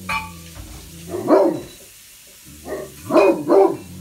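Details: Great Pyrenees on guard at an upstairs bay window, one of two dogs, Blanche and Lee, stationed west and east; a single heavy bark, a pause, then three quick deep barks.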